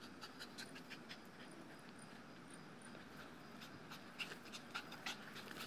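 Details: Quick rhythmic panting, nearly two breaths per second, from a two-year-old male Dogo Argentino worn out after a few minutes tugging on a ground-anchored tug toy; brief high chirps and light clicks sound in the background.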